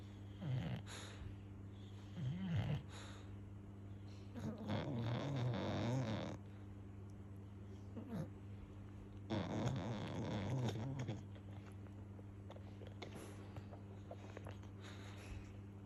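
An English Bulldog puppy snores in deep, rattling bursts with snuffly grunts between breaths.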